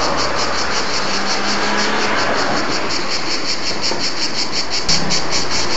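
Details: Cicadas singing at Bordighera, Italy: a dense, steady buzzing band with rapid pulses, roughly three per second, over a broad noisy background with low rumble.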